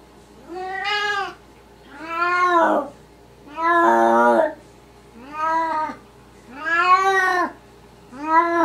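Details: Kittens of Maine Coon and Russian Siberian breeds giving six long, insistent mews at a steady pace of roughly one every 1.5 seconds, some rough and wavering, in a quiet room.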